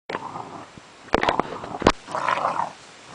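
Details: Tosa Inu crossed with Staffordshire Bull Terrier puppies playing indoors, giving short whiny yelps and squeaky vocal bursts mixed with sharp scuffling knocks, with a louder whine near the end.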